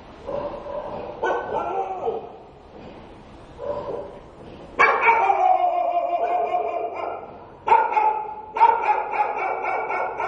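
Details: Stray dog in the daytime giving a few short harmonic barks, then a long, drawn-out, wavering yelping cry and further sharp barks near the end.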